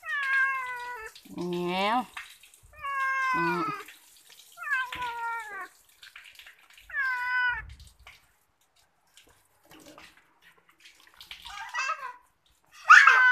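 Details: Domestic cat that likes bathing calls again and again: a string of short, wavering meows, some with a lower throaty edge, over the sound of running tap water and a little background noise.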